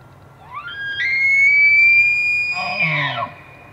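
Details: An elk bugles during the rut, filmed in Pennsylvania or the Canadian Rockies: a rising whistle swells into a long, high, sustained scream that ends in grunts.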